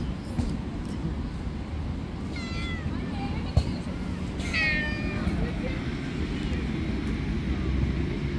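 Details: Little stray kittens living on the street, climbing on a lap, mew twice, two short high wavering cries about two seconds apart over steady low background rumble.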